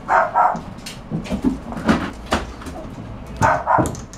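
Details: Bulldog puppy yapping in short double barks at the start and again near the end, with rustling, thumps and faint voices between.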